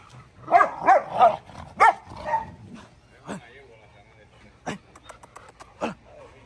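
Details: Dogo Argentino in a yard, opening with four or five quick, loud, rounded barks, then falling quiet as scattered clicks and a low voice take over.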